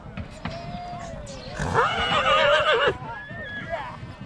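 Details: Stallion from Satu Mare, Bucovina, recorded in 2022, gives a loud, wavering whinny of about one and a half seconds with rich shaking harmonics that drop at the end, while people talk nearby before and after.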